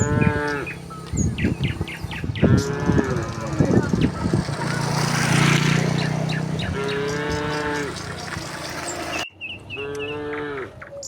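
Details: Several short, rising moos from tame cattle heading downhill to the pen in a rural setting, broken by a stretch of loud rushing noise mid-way, then two more clear lowing calls near the end.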